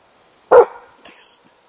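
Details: Single loud, abrupt bark from a five-month-old Hällefors Elkhound puppy baying at a moose, fading quickly with faint rustling afterward.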